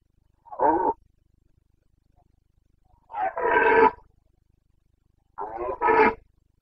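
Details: Red deer stag of the Carpathians calling in the Bucovina breeding season, 29.09.2022: three rough roars, a brief first one, then two longer, strained bellows rising in force, each about two seconds apart.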